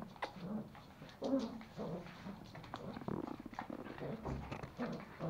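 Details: Pomeranian puppies Pomo and Pomy, a male and female toy Pomeranian born in 2017, tussling over a sock indoors in Kathmandu, Nepal; a steady run of throaty growls, snuffles and brief whines, uneven and overlapping.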